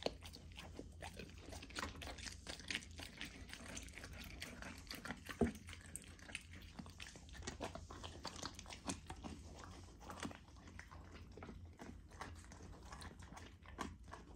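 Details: Golden Retriever puppy eating a raw food dinner indoors, partly frozen to slow her down: steady wet chewing, licking and smacking with scattered crunches, plus a low indoor hum.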